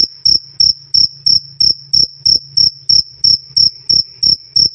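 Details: A loud, clear 'krik krik' cricket call meant as a tutor sound for cage birds: fourteen crisp, high-pitched chirps at an even pace of about three per second, with a faint low hum.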